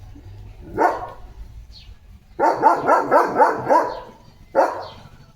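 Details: Leo, a German Shepherd dog, playing with a water mug held in his mouth; one bark, then a quick run of about six harmonic barks, then one final bark after a short pause.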